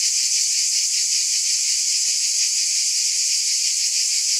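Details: Cicadas buzz in a thick, unbroken chorus: a shrill, hissing drone with a faint quick pulse, steady in volume from start to finish.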